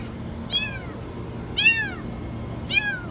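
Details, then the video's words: Kitten stuck in a washing machine crying very high: three shrill, bending meows roughly a second apart, each sliding down in pitch, over faint background hum. "Kitten stuck in the washing machine meow very high"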